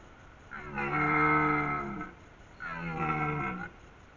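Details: Red deer stag bellowing during the breeding season in Haute-Savoie, a rut call that warns hinds and rivals he is there and strong: two long, drawn-out harmonic roars, each about a second and a half, separated by a brief pause.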